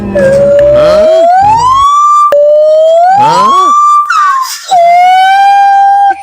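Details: A gibbon at Huai Sai zoo, Thailand, gives very loud, pure whooping notes that rise and swoop, repeated in long sliding phrases.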